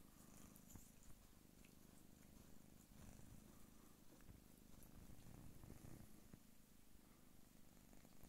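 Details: A Don Sphynx mother cat purrs steadily while nursing her kittens, a deep, even rumble that barely changes in loudness.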